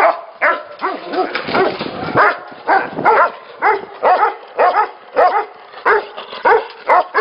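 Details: Tibetan Mastiffs kept at a breeding facility bark in uneven, resonant bursts, some calls drawn out into a rough howling yelp, the dogs' voices overlapping throughout.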